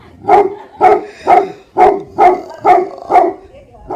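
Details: Bhote Kukur, the Tibetan Mastiff guardian dog of Nepal, barking in a steady series of about seven full, resonant barks spaced roughly half a second apart.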